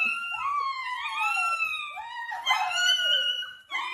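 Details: Dog howling indoors: long, drawn-out, tonal wails that rise and fall, one after another, with a brief break near the end before the howl starts again.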